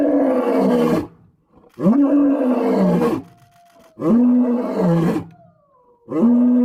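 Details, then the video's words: Powerful lion roars, each a long groaning bellow with a rich harmonic stack that dips and levels off, repeated roughly every two seconds with brief pauses between. "Lion Roar Compilation: Nature’s Most Powerful Sound"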